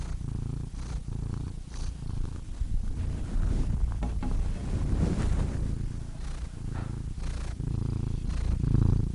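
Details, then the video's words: Cat purring with a deep, grainy rumble, breath phases less clearly separated, some faint rustling and soft higher crackles mixed into the steady vibration. "Cats Purring Soothing Sound Effects (Relaxing Cat Sounds)"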